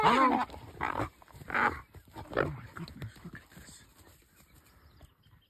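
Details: Brown hyenas fighting, seen on a bush walk, trade harsh squeals and rasping growls in short, irregular bursts.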